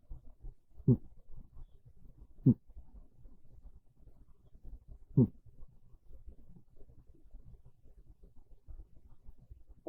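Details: Quiet snores from Monta, a pet cat dozing on a bed after midday on a chilly rainy day; three rough, low exhalations spaced a couple of seconds apart, with faint breathing between them in a still room.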